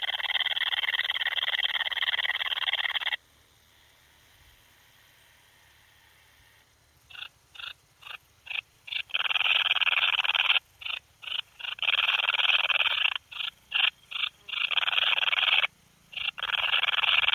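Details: Bicolour meadow bush-cricket singing at Breitenbrunn, Austria, on 13 July 2020: a dense, high whirring trill runs steadily for about three seconds, stops, then resumes as short buzzy bursts that lengthen into longer unbroken stretches.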